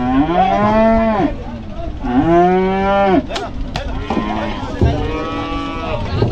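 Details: Cattle being unloaded from a river side, giving loud, long harmonic moos, three drawn-out calls each lasting over a second, with a brief clatter between them.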